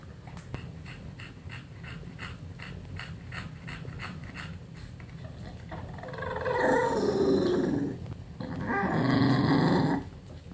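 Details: English Bulldog making funny noises: steady rhythmic snuffling snorts, about two a second, build into a loud, drawn-out, whining grumble with a falling pitch. After a short pause, a second moaning grumble follows.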